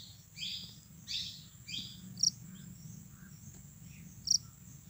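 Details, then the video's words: Japanese burrowing cricket (Velarifictorus micado) calling: high, bright chirps in short bursts at uneven intervals, with sharper clicking pulses about every two seconds, over a faint steady high whine and low rumble. "Sweet call of Japanese burrowing cricket (Velarifictorus micado)"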